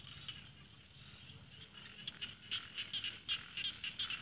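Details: Rice frogs in Isan rice fields, northeastern Thailand: after a quiet start with a faint high hiss, a burst of bright, rapid, clicking croaks begins midway and runs to the end, irregularly spaced, several callers overlapping.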